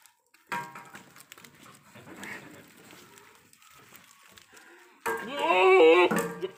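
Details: Sirohi goats in a lot at a goat farm in Ajmer, Rajasthan: after several seconds of people talking, a loud wavering nasal bleat breaks in near the end, with voices continuing around it.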